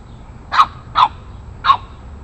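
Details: Rocky, an 8-week-old Boston Terrier puppy, takes on larger neighborhood dogs with three high, sharp barks in quick succession over about a second.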